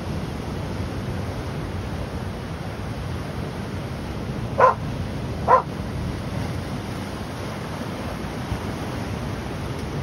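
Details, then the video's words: Dog at the shore barking at the waves, giving a single pair of clipped barks close together midway, surrounded by continuous rolling surf noise. "Dog barking at the waves"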